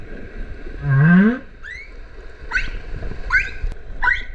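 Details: Humpback whale song underwater in Okinawa's Kerama Islands, where the whales gather from winter to spring to breed, mother and calf: a loud low whoop rising in pitch, followed by a higher whistled upsweep and three short chirps.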